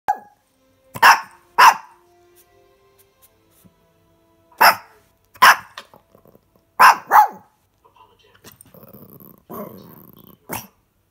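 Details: Pet dog barking indoors before being let out to the backyard. About seven sharp, loud, single barks come in pairs and spaced bursts, followed by low rumbling noise and a person's voice at the end.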